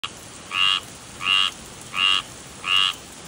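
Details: Tree frog giving four short, nasal, harmonic croaks, each about a quarter second long, repeated steadily about every 0.7 seconds against faint background hiss.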